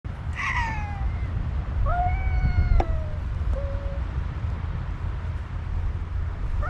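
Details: Two cats, a black cat and a white cat, in a cat-to-cat conversation, the black one calling with a strong voice that unsettles the white one; several drawn-out, falling meows early on, then quieter short calls over steady low background rumble.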